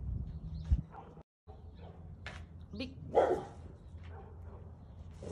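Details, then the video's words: Guard dog chasing an intruding wild boar off his territory, giving a few short, rough barks, one loud burst near the middle, over a steady low hum with voices speaking. "Guard Dog Chases Intruding Wild Boar Off His Territory!"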